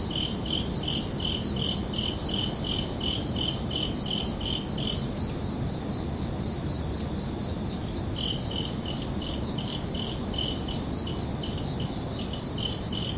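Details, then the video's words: Summer-night crickets chirping in overlapping rhythms: one caller drops out around the middle and returns later, while a second keeps a faster, steady pulse of high chirps above a broad, even low hiss. "Calming Cricket Sounds for Relaxation"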